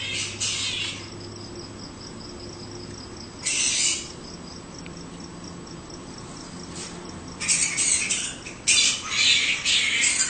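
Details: Wild Australian flying foxes, fruit bats, around a home: harsh raspy screeches in loud bursts near the start, after three seconds, and in a squabbling run over the last three seconds, with a faint steady high insect-like trill throughout.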